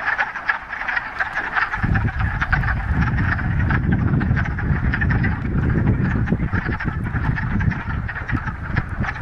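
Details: Frog chorus from a Ramapo Mountains pond on a warm mid-March spring day following a week of rain: continuous overlapping rapid croaking trills, with a deep low rumble, like wind or handling, joining after about two seconds.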